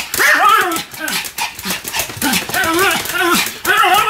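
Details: Spinning Pomeranian producing a rapid series of high, bent-pitched barks and yelps in clusters about half a second apart, over steady shuffling and a voice in the background.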